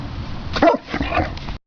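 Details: A female Great Dane sneezing indoors: one sharp, breathy broadband burst, then a softer snorting exhale and short rustling breaths, over low room noise.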